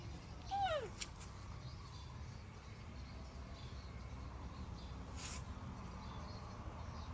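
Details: Baby monkey throwing a tantrum as its mother leaves: one short, clear, falling cry with stacked harmonics near the start, then steady background hiss with a few faint clicks.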